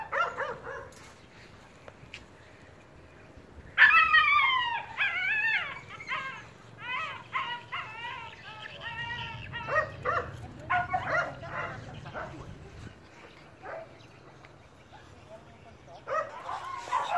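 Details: Phu Quoc Ridgeback dogs in Vietnam hunting a released rat, the pack leader taking over the kill; excited high yelps and whining cries in quick runs, some barks, fading into quieter noise before a final burst.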